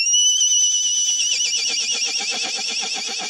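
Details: A miniature pack horse on a hike whinnies, a high shrill note breaking into a fast, shaking, trembling call to its companions.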